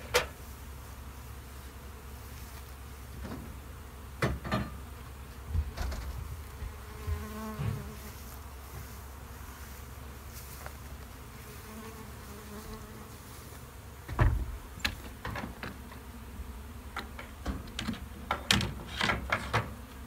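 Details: Honey bees humming steadily in a bee shed while repeated knocks and clattering thuds, like hammering or handling of equipment, punctuate the low continuous drone.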